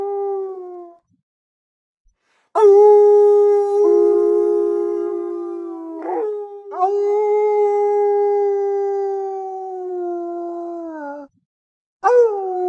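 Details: Wolves howling through a forest as pack communication: several long sustained howls overlapping in layers, with short swoops and breaks between them, ending with the start of another rising howl.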